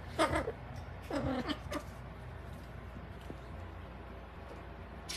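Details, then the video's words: Cat giving mysterious howling: two drawn-out wavering yowls in the first two seconds, the second bending down in pitch, then a steady background hum and a sharp click at the end. "There is Mysterious Howling"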